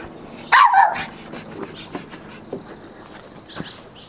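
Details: Small Yorkshire Terrier, overexcited while playing with a ball indoors, gives one sharp, high yelp followed by soft scattered taps and thumps of play.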